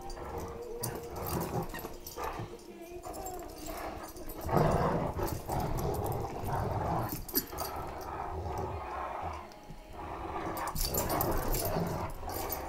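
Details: Great Danes playing tug of war with a sturdy rope toy while a Chihuahua tries to join in; rough, low rumbling growls rise and fall in uneven bursts, with scuffling and thumping from the tussle throughout.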